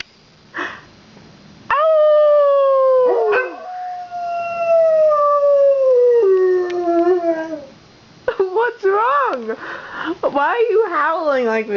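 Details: Two pet dogs howl at home right after fire truck sirens pass during a Santa fire truck parade: a long, steady, slowly falling howl over several seconds, then wavering, overlapping howls at the end, with a woman speaking.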